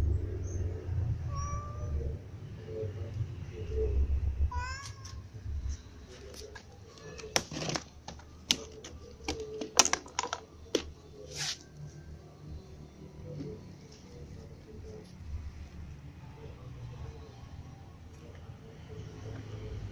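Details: Cats feeding, among them a white cat, a ginger cat and little cats: two short rising meows in the first five seconds, then a run of sharp clicks and taps over a steady low rumble.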